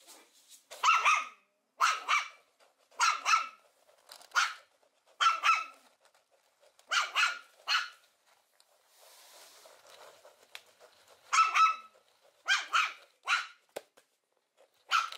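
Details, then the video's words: Puppies giving sharp, high yaps in steady pairs, a brief hiss of background noise midway, then the paired barks resume. "Los mejores LADRIDOS de PERROS CACHORROS"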